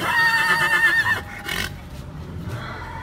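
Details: Horse stallion on his first day at a stud farm in Barnala, Punjab, giving a loud whinny: a strong quavering high neigh for about a second, then breathy snorting and shuffling, with a man speaking after.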